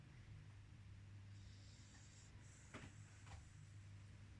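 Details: Beagle snoring indoors: a steady, low rumbling snore runs through the whole stretch, with a faint high whine and a couple of brief clicks partway in.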